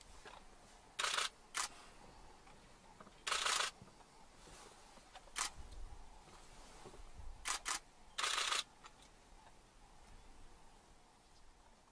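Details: Camera shutter clicks in bursts over a quiet, steady outdoor hiss, with no animal voice heard.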